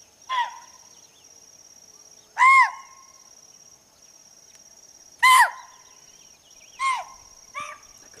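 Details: Chital, or spotted deer, giving its alarm call in a forest: five loud, shrill, barking calls, each a short arched note with a bright overtone, spaced about one to three seconds apart over a steady high electrical-like hum.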